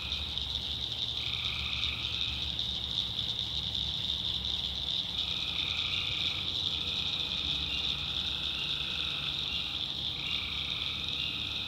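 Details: Tree frogs calling at night in the backwoods of North Carolina: drawn-out nasal notes sounding in overlapping bursts over a steady, high shrill insect-like hum and a low, constant rumble.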